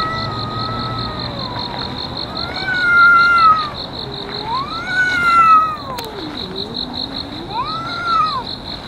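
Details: Park cats in a long-running feud trade drawn-out wails that rise and fall in arcs, three or four swelling howls with one lower dipping growl-like moan, set against a continuous pulsing insect chorus.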